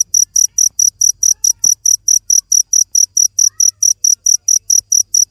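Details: Cricket giving a continuous run of sharp, shrill chirps, roughly four per second in a regular pulse, one brief soft tap midway, otherwise quiet background.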